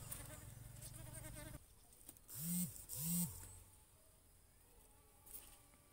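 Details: Bees buzz while pollinating and feeding on a coconut flower: a low, steady droning, then two louder swooping hums as one passes close.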